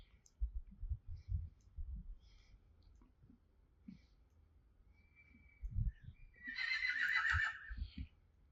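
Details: Friesian horses in a stable: soft low snorts and muffled thuds, then a loud shrill whinny with a rough, quavering texture lasting about two seconds near the end, followed by more low thumps.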